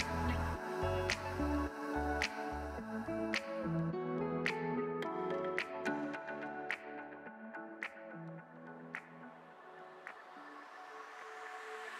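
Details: Soft electronic music with plucked notes, low bass tones and bright dripping accents that thins out toward the end, with no animal sound heard.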